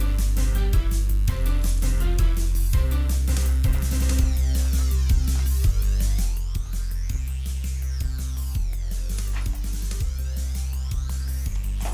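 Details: Electronic dance music with a steady drum-machine beat and deep bass plays throughout, with no animal sound.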